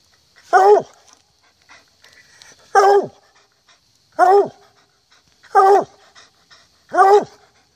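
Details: A hunting hound bays in loud, drawn-out, falling notes, repeated every one to two seconds, during an October 2014 hunt.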